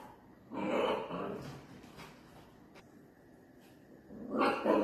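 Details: Playful miniature dachshund, one of a compilation of clips, giving two bursts of rough, mid-pitched barking and growly yapping, one early and one at the end, with quieter room noise between.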